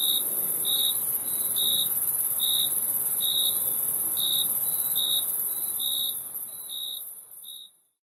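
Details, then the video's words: Repeated high cricket chirps, roughly one each second, over a continuous shrill insect buzz that fades away at the end. "Crickets Chirping Sound"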